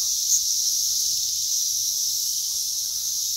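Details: A dense, steady wall of high, hissing buzz from a periodical cicada chorus in a southern Indiana garden on 12 June 2021, the cicadas emerged about one to two weeks earlier and are mating.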